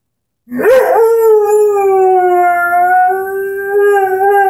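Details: Young Airedale Terrier Henry, 10 months old, starts with a quick squeaky, wavering onset, then swells into one long continuous howl that slowly sinks a little in pitch while his orange squeaky ball is nearby.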